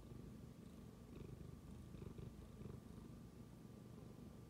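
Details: A tabby cat suddenly starts purring after smelling its owner's phone, a steady, low, rumbling throb that pulses with each breath.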